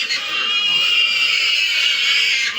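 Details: Backyard piggery with a pregnant sow and 25-day-old piglets: one long, shrill, steady squeal held for nearly three seconds without a break, loud and piercing, with faint low background noise.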